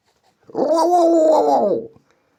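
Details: Domestic cat indoors uttering a single sustained, moaning meow lasting just over a second, even in pitch and dropping slightly at the close.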